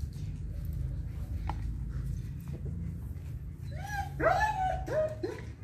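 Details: Young female German Shepherd, eleven months old; low steady hum at first, then a burst of high whining yelps, rising and falling, packed into the last two seconds.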